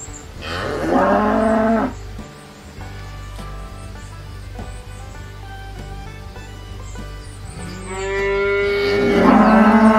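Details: Two cow moos, a falling bellow at the start and another rising, swelling moo near the end, separated by several seconds of quiet background music.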